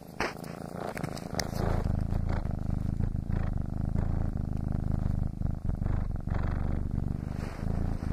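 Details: A foster kitten purrs loudly and steadily while kneading, a deep continuous rumble that throbs rapidly without pause.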